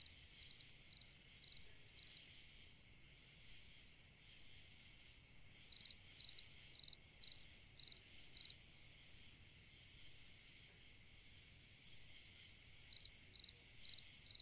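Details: On a summer night, a cricket sings bright, high chirps in runs of several, separated by pauses, over a steady insect hum.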